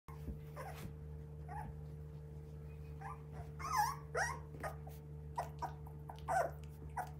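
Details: Three-week-old Border Collie puppies giving short, squeaky whines and grunts at irregular intervals, a few louder ones standing out, over a steady low electrical hum.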